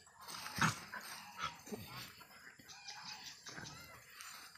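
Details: Dogs playing and teasing goats on a small backyard farm; a sharp, harmonic bark bursts out near the start, followed by two shorter yips a second later, then quieter scuffling and faint voices in the background.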